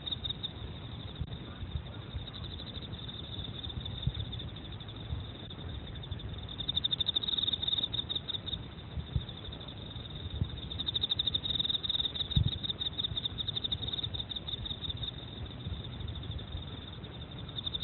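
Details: Steady high ringing chirps of an Emma field cricket, rapid pulses running almost without pause and swelling into several stronger trilled bursts, with a low background rumble and one brief sharp click.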